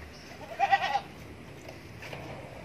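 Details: A heavily pregnant female red Kaligesing Etawa goat, close to giving birth, gives one short, wavering, nasal bleat lasting under half a second.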